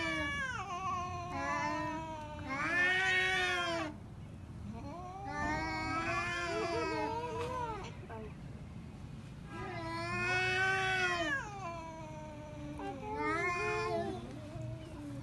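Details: Pet cats fighting at home: four long bouts of loud, bending yowls roughly every four seconds, each swelling into a harsh wail then falling away, with low growling murmur between them.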